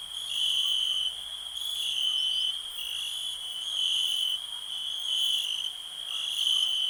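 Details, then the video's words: A continuous high-pitched cricket trill, rising and falling in loudness in slow waves roughly every second or so, with no other clear sounds over the insect's steady ringing. "Nature sounds, cricket relax"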